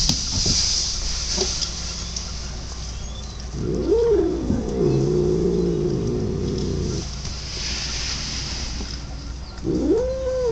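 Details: Odd vocalizing from a pet cat: after quiet hum, a long wavering moan rises then holds and wobbles for three seconds, with a brief arched cry near the end; constant low camera hum throughout.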